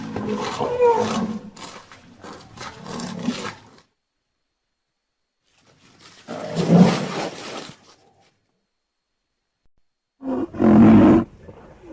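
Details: Rhinoceros producing harsh, breathy snorting bursts in three separated bouts, the last one short and loud, with quiet gaps in between.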